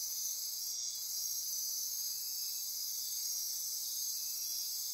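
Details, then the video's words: Rainforest insects at midnight near Corcovado National Park, Osa Peninsula, Costa Rica, producing a thick continuous high trill and buzz, level and unbroken, with one brief sharper burst early on. "Costa Rica Rainforest - Midnight Insect Chorus"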